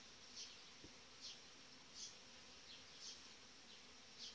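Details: Honey bees of a strong, well-developed colony with a breeding queen, inside an opened hive in July; a steady dense buzzing hum with soft high hissy flickers returning about once a second and a single faint tap.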